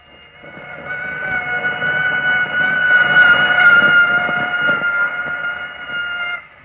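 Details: A female common malaria mosquito's mating call, recorded in 1945, a steady, droning hum with rich overtones, amplified more than 100 million times; played back, it drew a response from caged males.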